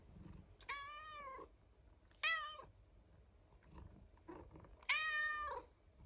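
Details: Pet rescue cat indoors meowing three times, roughly every two seconds, each call harmonic and slightly arched, the last the longest and loudest, with soft rustles between.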